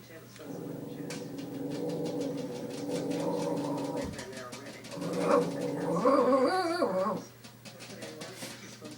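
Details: Missy, a pet dog, growling at her own reflection indoors: a sustained low rumbling growl with harmonic bands, building then rising into a wavering whine-like snarl before stopping, with a person talking softly.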